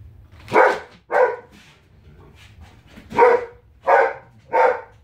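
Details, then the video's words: Indoor female Giant Schnauzer protesting at being kept out of the kitchen; five loud, harsh barks in two clusters, roughly one every half second to second, with a quiet pause between them. "Giant Schnauzer hissy fit"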